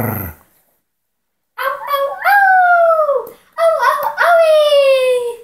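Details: In Phoenix, Arizona, on June 16, 2020, a Shih Tzu gives two drawn-out howls, each rising then sliding slowly downward, and a person then says "speak."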